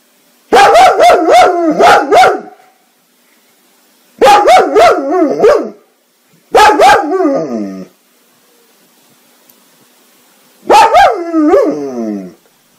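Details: Dog from a comedy compilation giving loud bursts of yodelling, wavering howl-barks, each burst lasting one to two seconds, separated by silent gaps, with some sharp clicks within the bursts.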